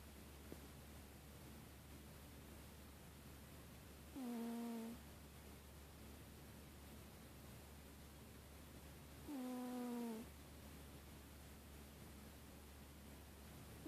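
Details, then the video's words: A female cat asleep on a couch under blankets gives two soft, tonal snores about five seconds apart, each a brief nasal hum with overtones. A steady low electrical hum and a hiss run underneath. "Kitty snoring"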